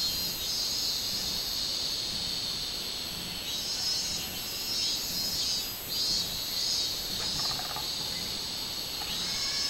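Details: On 24 July 2016, a robust cicada chorus: piercing, continuous high buzzing with rhythmic swells in the second half and a faint lower rasping near the end.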